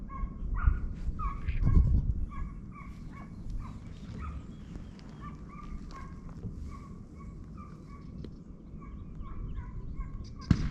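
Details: Hounds trailing a hare during the opening hunt of the 2023-24 season bark in a quick, uneven string of distant ringing bays. A loud thump is heard early on, and low field noise persists underneath.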